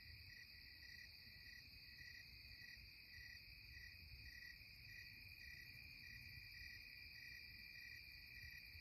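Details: Evening cicadas in the Catskills at twilight hold a steady shrill drone, while a separate high chirp pulses about every half second on top, over a faint low rumble.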